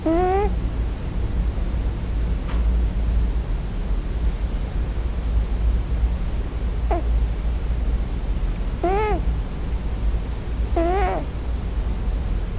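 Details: Male Scottish Fold cat crying for his mother in his sleep on his first night in a new home. Four short wavering cries, rising then falling, come at irregular gaps over a steady low hum.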